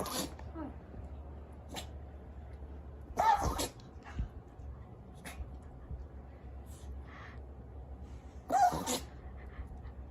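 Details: Yorkshire Terrier in a string of sneezes right after drinking water; several sharp, explosive bursts, the two loudest around three and eight and a half seconds, with smaller snuffles between and a low indoor hum.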